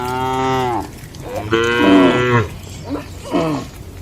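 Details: Tame cattle inside a farm shed on an ordinary day; a long moo is followed by a second, rising and falling moo, then two short grunting calls, with a low steady hum beneath.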